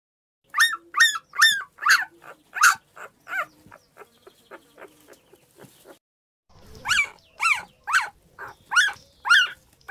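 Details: Dog giving high, yelping barks, each rising then falling, in quick succession, with softer yips in the middle and a loud rapid series closing the clip.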